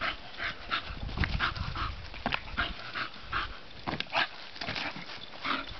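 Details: Bonita the bulldog playing outdoors in the sun, uttering quick grunts and whiny yips in a busy, irregular run, with a strong low rumble early and two louder snorts near four seconds.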